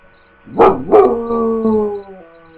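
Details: Dog giving two quick rising yelps that run into a short, steady howl gliding slightly downward before fading, with faint background hum.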